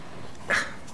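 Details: Bailey, a pet dog just roused from an afternoon nap, makes a brief high whine, a thin nasal tone about a tenth of a second long, against faint indoor room noise.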